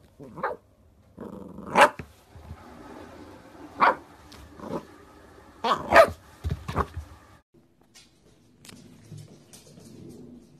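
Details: Corgi puppies giving sharp, scattered barks and yaps, some doubled close together, with quieter growly murmurs between them and a soft low rumble toward the end.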